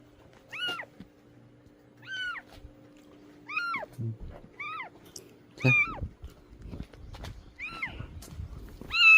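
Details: Rescued stray cat mewing persistently indoors: a string of short, high, arched cries every second or so, some slightly harsher, with low steady hum and scattered thumps and rustling behind.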